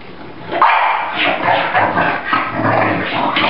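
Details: Bulldog in the morning, rolling wildly on his favorite raised bed in a playful frenzy, letting out a run of loud, rough, yapping barks and grumbles, with his owner's voice nearby.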